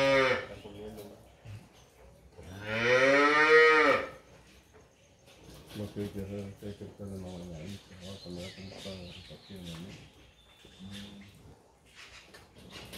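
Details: Dairy cattle on a farm in San Miguel, El Salvador, offered for sale: one loud, harmonic moo around two to four seconds, with a man giving spoken commands and quieter lowing and voices afterward.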